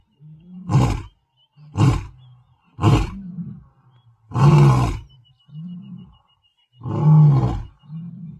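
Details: Territorial male lion in the Masai Mara plains delivers a series of deep, booming grunts, three quick ones followed by longer, fuller roars, interspersed with low softer moans.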